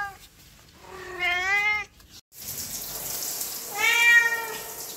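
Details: Cat meowing as people come near: two wavering harmonic meows, the first clean, the second over a steady hiss of running water from a tap.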